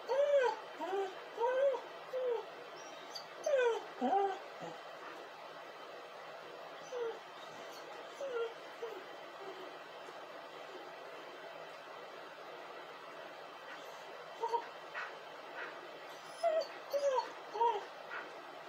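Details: A crying dog gives bursts of short, arched whimpers and yips, several in quick succession near the start, then a long quiet stretch of background hiss before another cluster of whines near the end.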